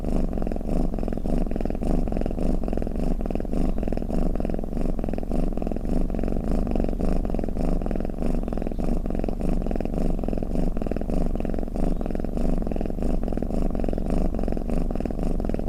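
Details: Sleeping domestic cat snoring in a long, unbroken low purr, a grainy vibrating drone that pulses gently in time with its breathing throughout.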